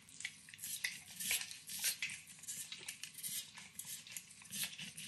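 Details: Overcooked bacon gets licked and nibbled by Max, a nine-year-old Pit Bull, in a kitchen. The short burst is full of crisp, sticky clicking and smacking right at the microphone.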